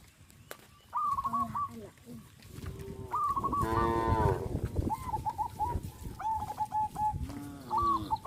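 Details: Cows of a traditional village farm walking in line along a road towards green fields; one long, deep, harmonic moo in the middle, surrounded by quick repeated sharp chirping bird notes throughout.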